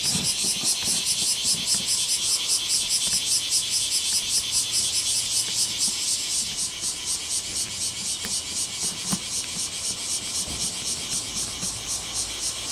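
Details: Cicadas on Mount Takatori break into simultaneous calling, 19 July 2015, taken with a telephoto microphone: shrill buzzing throbs in steady pulses, about one per second, continuing unbroken over a faint low background hum.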